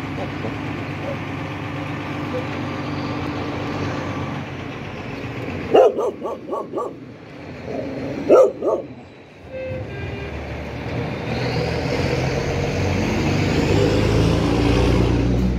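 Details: Red Chow Chow giving two short bursts of deep barking, a few quick barks each, separated by a pause, over a steady background rumble like passing traffic that grows louder toward the end.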